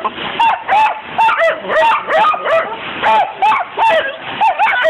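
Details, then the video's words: Buddy, a pet dachshund, worked up over a window being squirted with hose water, licking and biting at the glass; rapid, high, yappy barks burst out roughly every half second, mixed with overlapping human voices. "Our dachshund Buddy going nuts licking and biting the window being squirted with hose water!"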